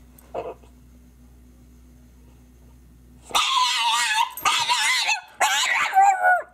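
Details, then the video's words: French bulldog crying: one short faint yelp, a long near-silent pause, then loud, strained, harsh wailing cries in three drawn-out bursts, rough and wavering, ending on a thinner, rising whine. "French Bulldog Crying"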